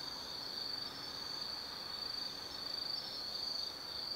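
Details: Autumn insects at night in the Tsukimi no Mori forest, Gifu Prefecture, Japan: a high steady trill with faint rapid pulsing, several callers overlapping, soft background hiss.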